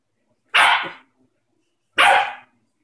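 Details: Whopper, a four-month-old West Highland White Terrier puppy, plays with an orange and lets out two sharp, bright barks about one and a half seconds apart, with near silence between them.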